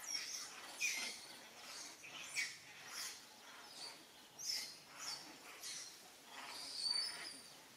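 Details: Monkeys vocalise as mother monkey Alika seeks help from Papa Kang Kep. Thin, piercing, high-pitched squeaks and short screams come at uneven intervals, some rising and breaking, over faint background noise.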